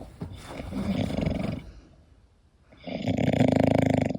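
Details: English Bulldog asleep, snoring: two long rough rattling snores, each over a second, with a quiet breathy pause between them and a buzzing, vibrating texture.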